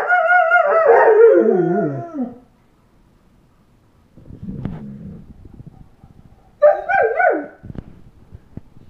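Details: Young German Shepherd, eight and a half months old, gives a long quavering howl that slides downward over two seconds, then softer grumbling vocal sounds and a shorter wavering howl near the end.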